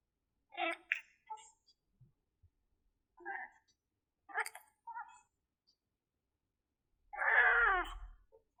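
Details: Himalayan cat, a household pet, in a rarely heard vocalization indoors; a few short chirpy calls, then one longer, drawn-out meow that falls in pitch near the end.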